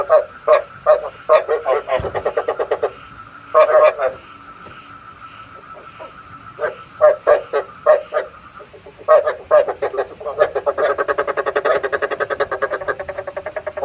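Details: Frog calls used as a lure for night trapping: bursts of rapid, throaty pulsed croaks in short trains, with a steady faint tone underneath, ending in a dense continuous chorus of overlapping croaks.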